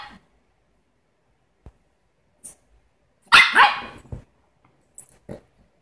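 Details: Smooth Brussels Griffon dog letting out one loud, harsh double bark midway, framed by faint clicks and near silence.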